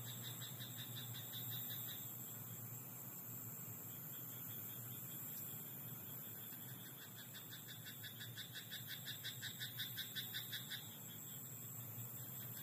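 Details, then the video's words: Night frog chorus in a rice paddy, with scattered croaks early on, then a fast, evenly pulsed rattling series swells loudly for about three seconds near the end. A constant low hum runs beneath. "田んぼのカエル "Croaking frog in rice paddy at night""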